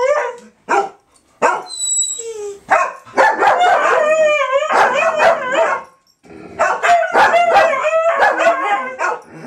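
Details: Dogs during 2012 Independence Day fireworks, starting with scattered sharp barks and yelps, then building into a group of warbling, overlapping howls, pausing briefly and resuming with wavering cries to the end.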